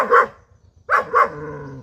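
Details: Five-month-old German Shepherd puppy gives one sharp bark, then two more in quick succession ending in a brief low tail, against a soft mechanical hum.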